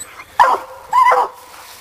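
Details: Black and Tan Coonhound Sadie, young and coon hunting, lets out two drawn, bawling barks about half a second apart, the second with a rising then falling tone, over quiet background.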